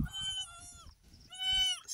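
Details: Goat bleating during kidding on a goat farm as the third of three female kids is delivered: two drawn-out, nasal bleats, each close to a second long and dipping slightly at the end, with a short gap between and faint low thumps.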